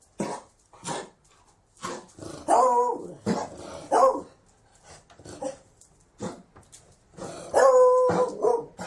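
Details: Beagle barking in sharp, separate bursts about once a second, some barks rising into yelping, whiny tones, with short silences between them.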